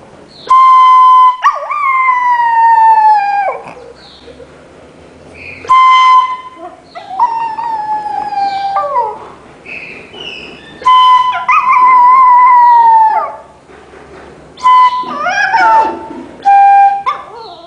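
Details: Pet poodle singing along with music instruments: long, drawn-out wavering howls that slide and fall in pitch, answering steady held instrumental notes, repeated over several phrases with brief pauses between.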